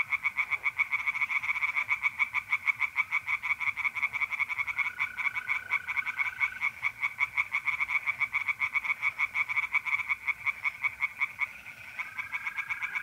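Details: Singing tree frogs in a pond at night, North-East Italy, mid-April: many rapid rasping pulses forming an unbroken chorus, briefly thinning near the end, with trilling mole crickets in the background.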